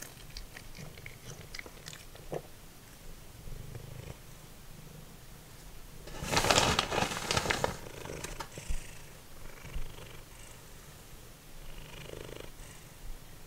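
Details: Simba, a once-feral cat, purring while eating dried minnows like chips; a continuous low rumble runs throughout, with a dense spell of crunching bites midway and scattered chewing clicks.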